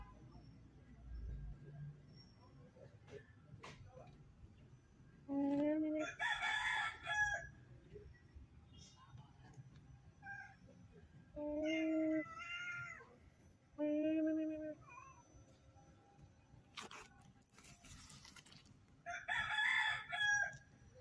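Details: Homeless stray cat begging for food, meowing repeatedly in loud, drawn-out, slightly wavering cries, some in quick pairs, spread over about fifteen seconds, with clicks and faint street noise in between.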